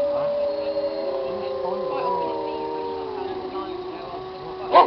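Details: A pack of wolves howl together in long, overlapping tones that slowly slide in pitch.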